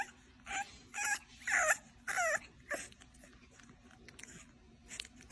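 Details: Bulldog puppy giving a series of short, high whining whimpers and yips that rise and fall, about five bursts in the first three seconds, then quieter, with a steady low hum underneath.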